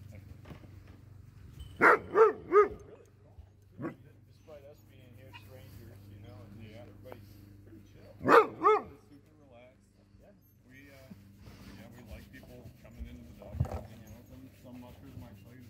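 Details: Sociable Alaskan sled dogs, among them Pantera and Def Leppard, welcome a newcomer with quick triple barks near the second mark and a double bark later, amid low human speech and background music.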